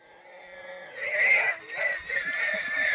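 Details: Pig seized by hunting lions, its cries soon silenced as it is killed; after a second of near silence a harsh, strained, high-pitched squeal rises and holds for about two seconds, wavering and breaking.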